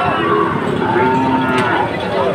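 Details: At the Ambari cattle market on 2 October, a Sahiwal animal gives a long, steady, low-pitched moo that holds an even tone for about two seconds over continuous background chatter from the crowded market.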